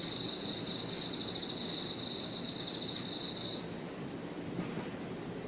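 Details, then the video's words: Crickets and other insects singing in a park in the evening: a steady high whine, a faster pulsed trill that pauses and resumes, and a lower continuous buzz layered together, over faint low background rumble. "Harmonious sound of crickets and other insects 저녁 공원 풀벌레 소리"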